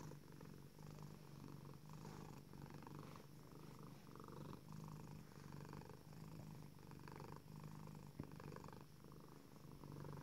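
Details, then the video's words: Tuxedo cat Selina stretching her front paws on her cat tree, purring in contentment; continuous low rumbling purr in rhythmic breath-paced waves, with a faint click near the end. "Tuxedo cat purring with satisfaction"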